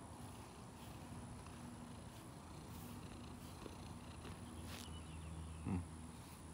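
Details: Morning greeting from a neighbour's female cat in a garage: a soft, low, continuous purr with a faint steady hum behind it and a short sharp sound near the end.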